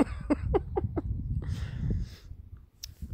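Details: Irish red and white setter Keyser whimpers in five brief, high, clipped pulses across the first second, followed by low rumbling handling noise and shuffling.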